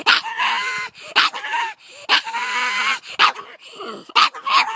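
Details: Pug barking at two terriers that came down the driveway: hoarse, strained barks mixed with whining, whistly squeaks and wheezy noises, coming in uneven bursts about every second.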